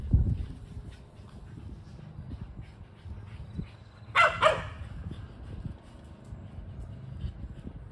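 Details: Kelpie cross and Border Collie chasing a tennis ball: two quick loud barks in the middle, over a constant low rumble of movement and running noise.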